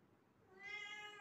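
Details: Pet cat, busy trying to catch a gecko, gives a single clear meow. The call begins after a short pause, rises slightly and then holds steady, clean and tonal, in a quiet room.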